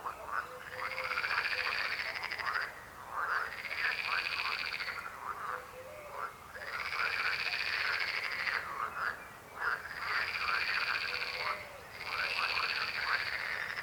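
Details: Frogs croaking together in loud pulsed rattling bouts about two seconds long, each followed by a brief pause, repeated steadily as the chorus rises and falls.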